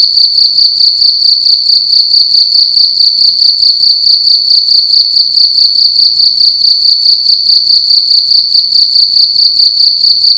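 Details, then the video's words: Loud cricket inside a room at night, giving an unbroken piercing trill of fast regular pulses at one high pitch, steady in volume throughout. "Cricket making loud sounds at night in a room"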